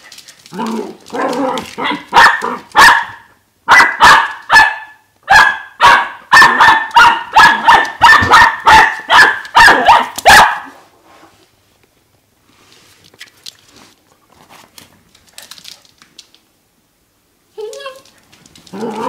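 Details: A four-and-a-half-month-old dachshund puppy, running about, barks in rapid, sharp bursts at nothing in particular, then falls quiet apart from faint shuffling.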